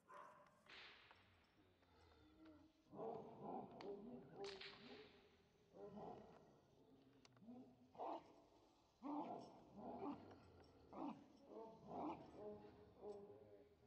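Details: Giant Schnauzer Gyn-Yuu during IPO protection work training, barking in a series of loud, deep, rough bursts, roughly one per second, with short gaps between volleys, a sharp whip-like crack early on and some human voices.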